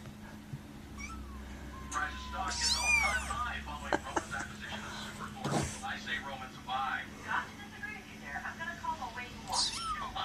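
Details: Kittens mewing: high, quavering cries rising and falling in quick runs, with shorter squeaky mews later, while a person talks and a low hum runs underneath.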